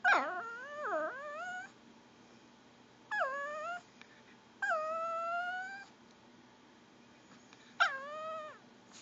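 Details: A female Pomeranian whining to beg for goldfish crackers; drawn-out, gurgling whines that dip then level off, some held nearly two seconds, in four bursts over quiet gaps.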